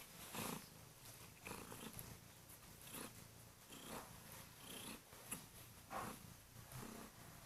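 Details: Kurilian Bobtail female cat indoors on a bed, waking her owner in the morning with loud purring and gentle nibbling of hands; a steady low purr swells in pulses roughly every one and a half seconds, with soft rustling.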